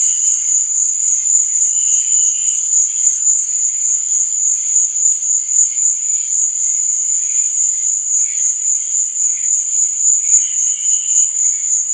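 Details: High, fast, even cricket trilling carries on through the night scene, accompanied by quieter intermittent chirps at a lower pitch.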